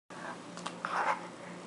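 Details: Miss Margot, a brachycephalic dog, slurping and snorting at mealtime indoors; a short wet burst of snuffling noise with a stronger snort near the end.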